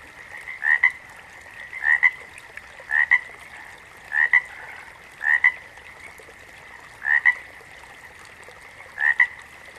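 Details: Repeated frog croaks, each a quick doubled note, the first sliding slightly upward, coming about once per second with slightly uneven spacing against a constant high-pitched chorus in the background.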